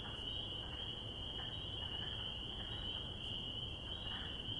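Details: A dense spring chorus of spring peepers makes a steady, high, shrill ringing of overlapping peeps.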